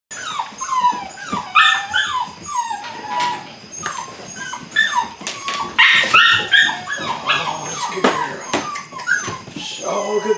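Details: Litter of eight-week-old Belgian Malinois puppies during beginning bite work, giving many high, falling whines and short yips in quick, uneven succession, several voices overlapping, with sharp knocks and thumps around them.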